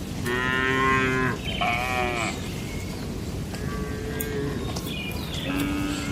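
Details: Night in a traditional cattle shed: a couple of harmonic moos close together early on, then quieter, thinner calls amid steady low rumble and scattered clicks and knocks.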